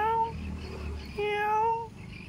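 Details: Hungry house cat that nobody has fed, meowing twice: a short level meow, then a longer drawn-out one after a pause, both clear and tonal, with faint room noise behind.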